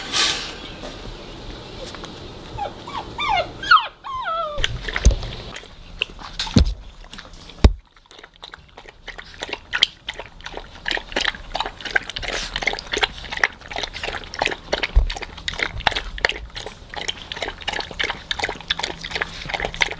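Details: Weimaraner puppy, the last of its litter still at home after its littermates left, sharing the house with Pomeranian puppies. It gives a short run of high, wavering whimpers that rise and fall. Afterward come scuffling, clicks and indoor household noise.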